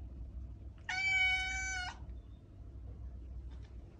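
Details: ['A single domestic cat meow, long and steady, about one second of flat, nasal, harmonically rich tone, then quiet with a low hum behind it.']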